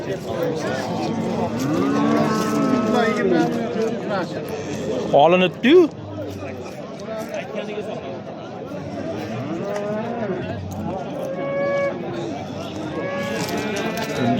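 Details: Bulls at the Oqtepa livestock market in Oltinko'l, Andijan, Uzbekistan; drawn-out harmonic moos, one sharper rising call midway, over constant chatter of traders and the busy hum of the market crowd.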